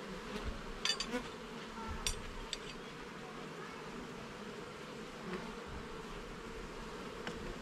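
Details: Honey bees in a garden hive, heard during an inspection of its levels and frames: a dense, steady colony hum with low droning bands, broken by sharp taps and clicks from handling early in the clip.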